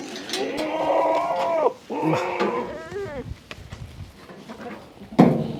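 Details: Beetal goat on a farm near Nandi Hills, Bangalore rural, Karnataka, giving two strong, drawn-out bleats, the second ending in a quavering tremble, then scattered knocks and a sharp thump.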